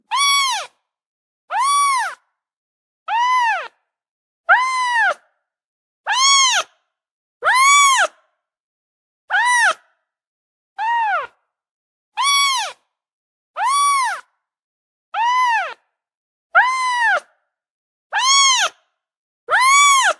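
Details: Six-day-old kittens, domestic cats: high, arched mews, each rising then falling, repeated about every 1.3 seconds in a steady series of fifteen or so calls, with silence between them.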